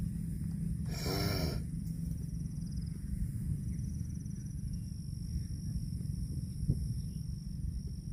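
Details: Cattle grazing on grass give one short, harmonic, nasal call lasting just over half a second near the start. A steady low rumble and scattered soft clicks fill the rest.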